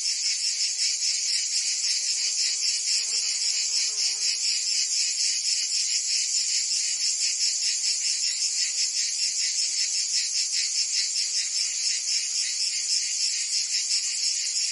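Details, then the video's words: Summer cicada chorus in Provence, France, a constant shrill rasping drone of many insects with a faint pulsed texture; a brief soft lower chirping appears near the third and fourth seconds beneath the buzz. "Cicadas singing in France (Provence)"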